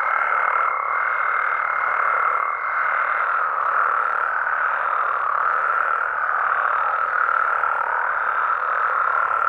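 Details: Mexican frog and toad chorus on a night in natural habitat: steady, densely layered trilling drones on throughout, with a higher thin tone holding for the first few seconds before fading out.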